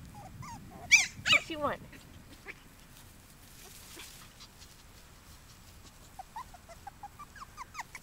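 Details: Five-week-old puppies from Maggie's litter give a burst of high, wavering whines and yelps, then quieter scattered squeaks follow after a lull.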